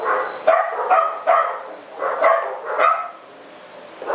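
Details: At the TUAPA shelter in July 2010, Punk, a French bulldog female unable to walk normally, gives a run of short, rough barks in a loose rhythm, with a thin high tone running faintly behind.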